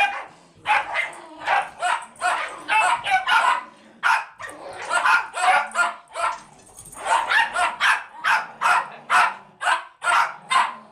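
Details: Rat Terrier rescue fosters, a pair with one in a sweater, bark during dog play; rapid high yappy barks repeat in clustered volleys, roughly two to three per second, with brief pauses between runs.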